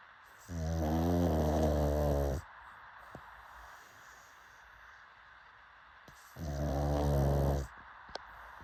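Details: Pug snoring: two loud, low, harmonic rasping snores, each about two seconds long, separated by quiet breathing pauses of roughly four seconds, with faint clicks between.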